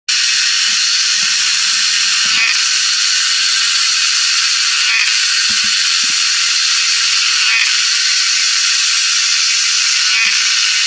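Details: A cicada in Thailand, recorded 7/5/20 in Mae Fah Luang arboretum, Doi Chang Mub, Chiang Rai, calls for a mate, a loud, steady, high-pitched buzzing drone running unbroken throughout.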